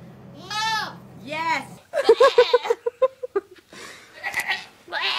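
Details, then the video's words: Loud goats giving two bleating cries, the first long and wavering, then a person speaks rapidly in short bursts. "Loud Goats"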